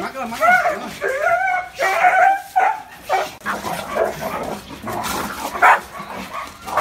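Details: Dog barking and yelping in a string of harmonic, slightly wavering calls, loud at the start and growing rougher and fainter toward the end, with one sharper yelp near the close.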